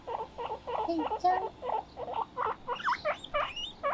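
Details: Two pet guinea pigs, named Moruhei and Mokohei, playing on a balcony; short squeaky chirps repeated about three times a second, some with upward sweeps, over a faint background hiss.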